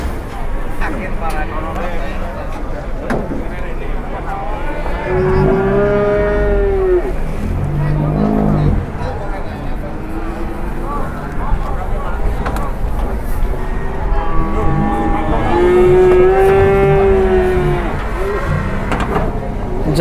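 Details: Cattle in a duel in Indonesia, likened to fighting cats, give two drawn-out bellowing moos, the first near the middle of the recording and the second toward the end, each with a steady tone, over low rumbling background noise.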